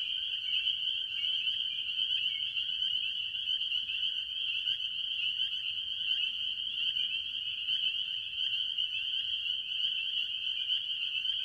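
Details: A farm pond early in the year, filled with tree frogs, mostly spring peepers: continuous shrill peeping from many callers blends into one high ringing drone, with occasional sharper rising notes near the start.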